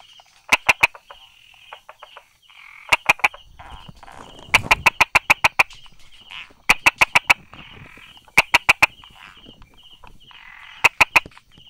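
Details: Tapping 'da-da' call of a Brauer's tree frog tucked beside rock crevices and grass, 22 July 2016, 10:44: quick clusters of three to five hard clicks with short pauses, a brief rustle midway, and a continuous high pulsing buzz behind.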